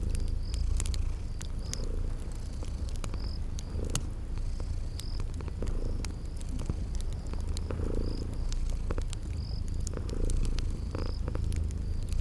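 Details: Steady low purr of sleeping kitties with faint rhythmic breathing swells, accompanied by frequent crackles from a fireplace and repeated short, shrill cricket chirps in a spring garden ambience.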